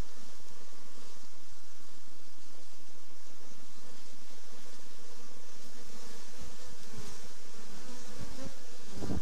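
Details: Diseased honey bees with chronic paralysis, known as black bee disease, give a constant humming buzz over nine seconds, ending in a brief louder low rumble.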